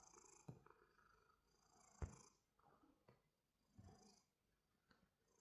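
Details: A quiet, steady purring rumble from a cat, deep and breathy in slow waves, with a few sharp knocks and rustles over it.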